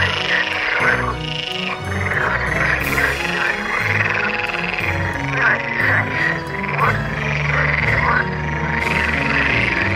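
A dense chorus of edible frogs gives loud, rattling croaks that overlap in rising and falling bursts during courtship.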